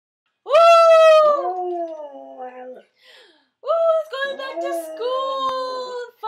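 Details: Otterhound mix pet dog howling along with its owner singing; long, sliding, tonal howls that start high and fall, with a pause, then more overlapping drawn-out howls and a human voice indoors.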